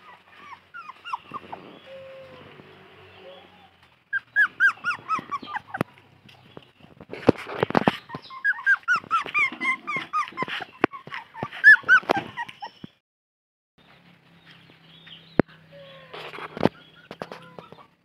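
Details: A puppy cries from thirst as it looks for its mother, giving bursts of short, high, curving whines and squeaks separated by quieter pauses, with rustling and knocking noises in between.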